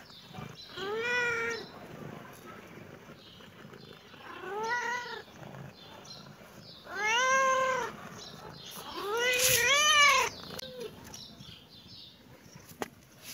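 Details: Kitten meowing in reaction to seeing the camera: four clear, drawn-out harmonic meows that arch up and fall away, roughly every two to three seconds, the last two louder and closer together, followed by a short softer chirp.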